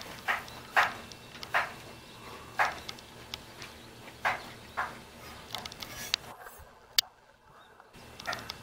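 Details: Young Jindo dog puppy in Jeonju, North Jeolla, Korea, calling and wagging its tail to invite play: short, sharp yelps repeated about every second, then a brief pause and a few softer yips.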